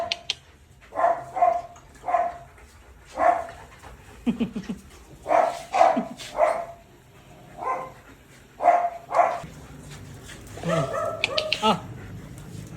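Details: Belgian Malinois dogs named Luna and Dax, playing with their owner; repeated short high whines and yelps, roughly one every half second to second, with a burst of barking near the end and laughter and Tagalog speech around them.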